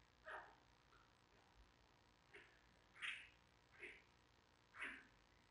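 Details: Ten-day-old giant panda cub of mother Mei Xiang in its den at Smithsonian's National Zoo, giving short, sharp squeaky squawks, about six bursts spaced roughly a second apart, in a quiet room.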